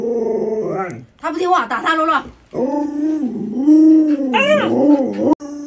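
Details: Alaskan Malamute Luoluo, a pet dog whose owner eats radish while the dog gets a chicken drumstick, produces a run of rising and falling howling yowls in quick succession, ending on a sustained steady tone.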